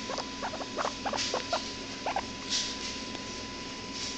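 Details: Pet hairless guinea pig making cute noises: rapid series of short, high squeaky chirps and peeps in quick bursts, recorded on a low-quality camera with steady electrical hum and hiss.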